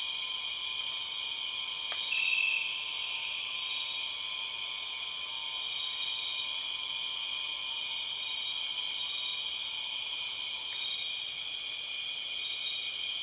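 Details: {'caption': 'Empress cicada calling in the Borneo rainforest: a loud, unbroken, high-pitched droning buzz layered in several steady bands, holding evenly for the whole stretch. A brief higher tone enters near two seconds, with a faint click.'}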